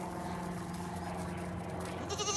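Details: Goats bleat excitedly as hay is brought to them, their nasal, wavering calls overlapping in a noisy chorus.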